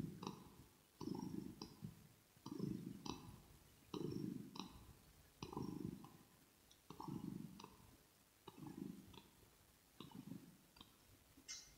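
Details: Rosetta, a pet kitten, purring steadily, recorded ear to ear: deep rumbling pulses rise and fall in an even rhythm about every one and a half seconds, with soft mouth clicks at the start of each burst.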